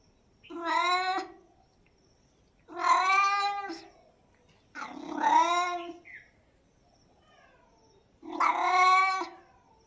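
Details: Four long, loud cat meows, each about a second and strongly harmonic, slightly rising then falling, separated by roughly two-second pauses in otherwise silent surroundings.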